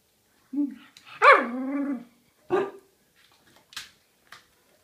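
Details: Two pet dogs barking while begging for food: a drawn-out, tonal yowl that swoops down in pitch, then a shorter sharp bark and a few faint clipped sounds, with a person's voice nearby.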